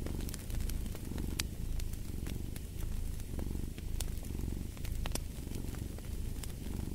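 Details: Continuous low cat purr rising and falling with each breath, about once per second, while a fireplace crackles and snaps with bright clicks overhead.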